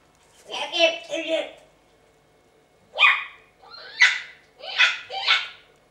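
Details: Twelve-week-old Chihuahua puppy indoors, reacting to a pig's ear Christmas present it dislikes: after a short human phrase come four sharp, noisy yapping bursts roughly a second apart, with a quiet room between them.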